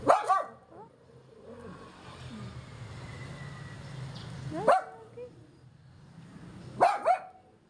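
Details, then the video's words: Yorkshire Terrier upset by a man delivering gas, barking in short bursts: a sharp double bark at the start, one near the middle and another double bark near the end, with a steady low hum and background noise between. "stress si Yorkie sa nag deliver Ng gas"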